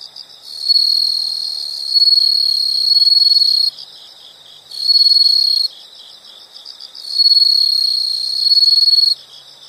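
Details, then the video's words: Insects in a nature recording: a high, steady, shrill trill comes in three long bursts of about one to three seconds each. Short quieter gaps separate the bursts, and faint pulsing chirps continue underneath. "the sound of insects"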